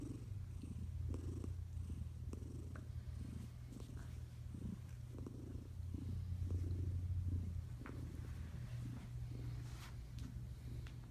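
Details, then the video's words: Tiger cat asleep beneath a blanket, snoring with a continuous low rumbling drone and soft rhythmic breathy snorts, quiet indoor setting. "sleeping and snoring under a blanket snores snore"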